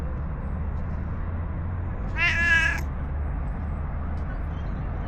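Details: A single short, slightly wavering meow comes from a friendly stray cat that snuggles up after being petted in an Istanbul park and follows to a bench. A steady low hum of urban traffic continues underneath.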